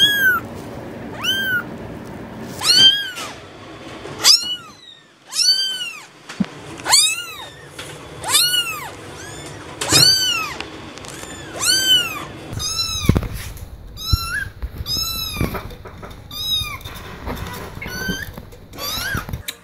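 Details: Kittens meowing over and over, bright arched mews roughly every second or two, some overlapping cries, with a faint background rumble and a brief thump near the end.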